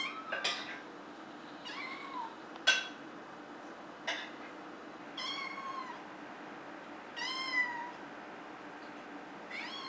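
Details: A female Maine Coon cat, recorded from kittenhood, gives short, rising-then-falling meows spaced a few seconds apart.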